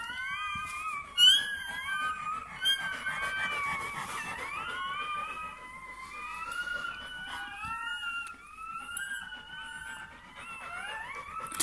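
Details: Continuous high squeaking from a newborn Bernese Mountain Dog puppy at birth, many quick slurred notes sliding up and down in a busy, almost birdlike chatter, with occasional clicks and handling noise.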